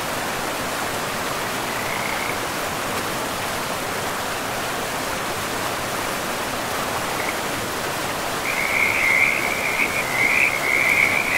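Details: By a forest river, a frog gives a faint croak early, then after eight seconds a loud, sustained rattling trill, all over heavy rushing water.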